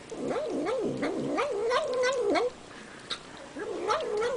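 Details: House cat eating its dinner and humming a continuous wavering, yowl-like murmur that rises and dips rhythmically, breaking off briefly with a click before resuming.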